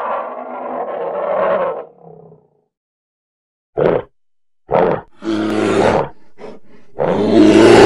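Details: Polar bear giving a drawn-out rumbling roar that fades out. After silence come several short, sharp barking grunts of varied length, then a final loud roar rising in intensity.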